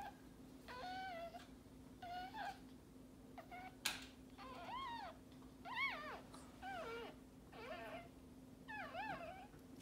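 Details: Maltese dog in labour with her second puppy, in a litter of three. Repeated thin, arching whines bend up and down, about one each second, with one sharp click midway and a low steady hum throughout.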